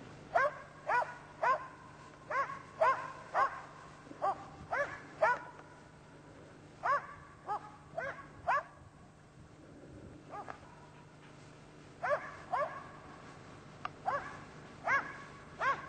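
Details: Karelian Bear Dog barking while hunting a European brown bear: sharp, loud barks in quick bursts of two to four, with a brief lull midway before barking resumes, over a steady low hum.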